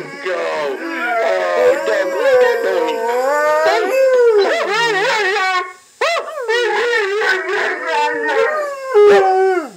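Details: A lazy giant Cardigan Welsh corgi, confused while watching a video of another dog, howls in long, wavering, sliding notes, with the other dog's voice overlapping.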